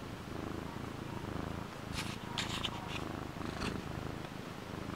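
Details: Pet cat Frodo makes a continuous deep, rhythmic purring rumble, with a few short rustling or clicking noises near the middle.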